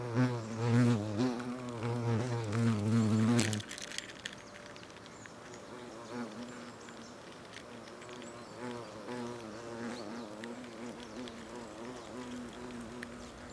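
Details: Buzzing of European hornets (Vespa crabro) at a nest in South Moravia, Czechia, August, during food exchange between workers; a loud close droning hum for the first three and a half seconds, then softer, wavering background humming with small clicks.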